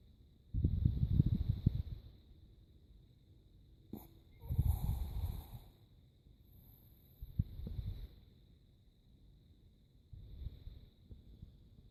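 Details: Krisha, a female Chihuahua, snoring in her sleep: low, rough, rumbling breaths come in bursts about every three seconds, separated by quiet pauses, with a faint steady high hum in the background.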